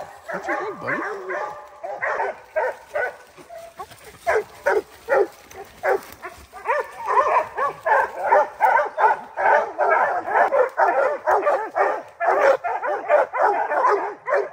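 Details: At three months old, puppy Rocky (Gray's Rack Em Willy x Blackstone's Ram-Paige) bays up at his first treed black bear, choppy yelping bawls in uneven bursts that settle into a steady, rhythmic chop of roughly two cries a second.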